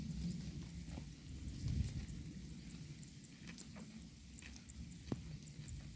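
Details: Herd of cows grazing on grass in a pasture: soft, low, steady munching and rustling with scattered crisp tearing clicks, one sharper snap near the end, and a quiet outdoor background.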